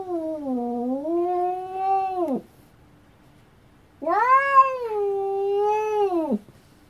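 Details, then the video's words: Cat giving two long, drawn-out, wavering meows, each about two seconds, dipping and then rising before falling away sharply at the end, separated by a quiet pause; nothing else is heard. "Cat voices"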